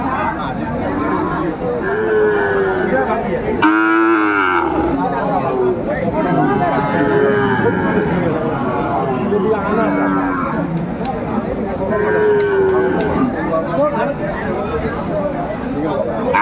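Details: At Aftabganj haat on 4 May 2024, where Sahiwal bull calves are being sold, one short, sharp, strained bellow bursts out near the middle. Several softer, wavering lows come before and after it, over busy crowd noise and haggling voices.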